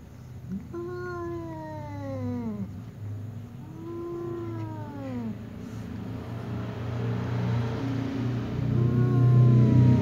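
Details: Tom cat and ginger cat trading meows; two falling, drawn-out cries in the first half, then a fainter third, over a steady low engine-like rumble that grows louder toward the end.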